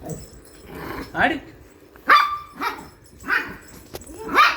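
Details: Playing Shih Tzu letting out a handful of spaced, shrill barks with short whiny tails, mixed with a person repeatedly telling it in Tamil to be quiet.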